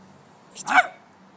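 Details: Six-month-old male brindle Staffordshire Bull Terrier barking once at a locust he meets for the first time; a single short, harsh bark rising then falling, with faint background hum.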